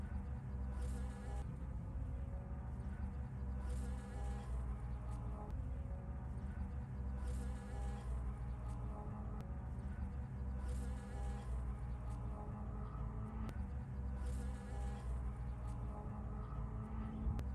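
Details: Springtime honey bee working rapeseed blossoms: continuous low buzzing drone with banded overtones, swelling slightly at intervals of a few seconds, faint higher hiss now and then.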